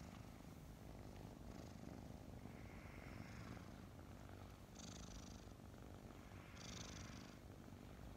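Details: Two adopted kittens about five months old, Mint and Mocha, purr contentedly as they snuggle in the morning; a steady deep rumble runs throughout, broken by a few short hissing rustles of fur or bedding.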